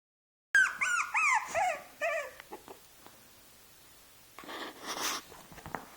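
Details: A six-month-old Shih Tzu trying to play with a two-month-old Shih Tzu puppy indoors: a run of high, wavering whimpering whines in the first two seconds, then quiet, then a rustling scuffle near the end.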